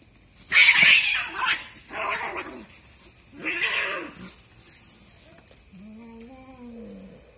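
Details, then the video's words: Two cats fighting at night: loud breathy hissing and spitting bursts, three harsh blasts, then a lower wavering yowl trailing off, with a faint high whine behind. "দুই ভৌতিক বিড়ালের ভয়ানক মারামারি, আমার রাতের ঘুম হারাম করছে এই স্বামী স্ত্রী, cat's fighting video"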